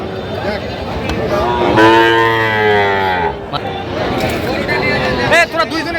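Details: Sahiwal bull calf at a Dhaka cattle market, Bangladesh, 9 September: one loud, rich, sustained bellowing moo of about one and a half seconds, slightly falling at its end, amid market talk and shouting.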